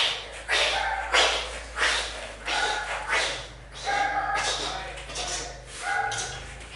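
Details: Dog playing with a toy, giving a series of short sharp barks and yips in irregular bursts, roughly six or seven across the stretch, with a low steady hum underneath.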